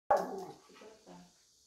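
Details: Schnauzer dog barking out of excitement on grooming day: one sharp, loud bark followed by two softer, shorter barks within about a second, then quiet.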